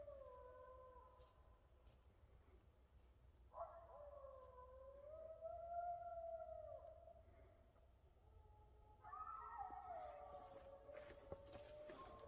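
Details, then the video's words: Several coyotes howl in the back woods, drawn-out wavering tones overlapping one another, rising and falling, in three bursts spaced a few seconds apart, the last one joined by higher yips, with a low background rumble. "Scary Coyotes howling in the back woods!"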